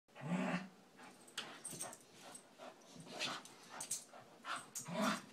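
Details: Two Scottish Terriers, McGee and Mackie, wrestling in play: short low growling bursts at the start and end, with scuffling noises and thumps in between.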